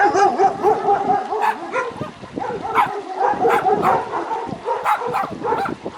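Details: Dog giving rapid, almost continuous barking with strong tonal yelps, a real recording offered to toddlers learning animal noises; the barks run together with little pause.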